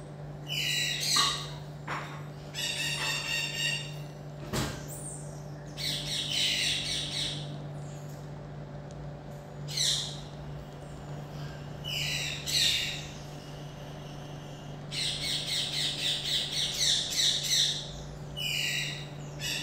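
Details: Common marmoset calling in bursts of shrill, high-pitched chattering notes, some sharp and clipped, others trilled rapid series, several groups spread over twenty seconds, with a steady low electrical hum underneath.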